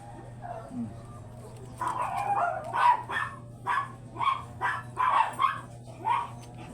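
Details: Chocolate-liver Shih Tzu named Booth, kept as a stud dog at a kennel house, barking repeatedly after a quiet start: eight or so short, bright yaps spaced roughly half a second apart over a constant low electrical hum.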